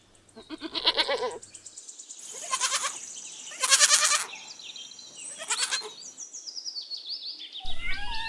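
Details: Young goat bleating: four loud, quavering, harmonic cries about a second long and spaced unevenly, with a low hum at the start and brief sharp chirping near the end.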